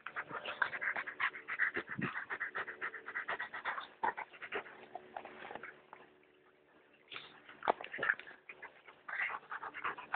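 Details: Dogs Brad and Olivia "Olly" playing, 19 June 2011 around 16:18, linked to B&B Torricella: rapid scratchy panting and snuffling bursts, roughly 150 a minute, easing into a quieter lull midway before resuming, with faint human voices.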